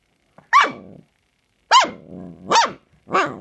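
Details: Four loud, high-pitched puppy barks from Samoyed pups, dated 16 March 2020, each an arched yap followed by a short rough growling tail, roughly one every second.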